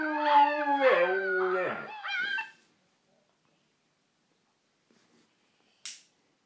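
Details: Siberian Husky howling at puppies: a harmonic-rich howl with wavering, stepped-down pitch lasting about two and a half seconds, followed by silence and one brief sharp noise near the end.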